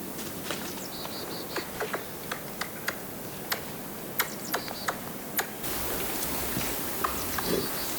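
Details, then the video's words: Eurasian red squirrel in Korea, busy caching pine nuts for winter, suddenly sounding an alarm because another squirrel has intruded, then puffing itself up in a threat posture; sharp dry clicks repeated irregularly about every half second over a faint hiss. "그런데 갑자기 경계음을 내는 청설모."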